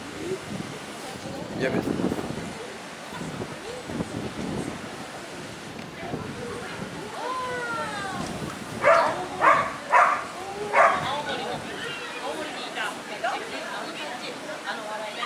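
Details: At a dog show on 1 September 2019, a Hokkaido dog lets out three loud, sharp barks in quick succession about two-thirds of the way through. Human voices and talking fill the background before and after.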